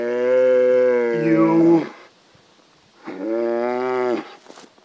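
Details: Cow mooing in two loud, drawn-out harmonic calls, the first about two seconds long with a falling, strained end, the second shorter and steadier after a brief pause; a person speaks nearby.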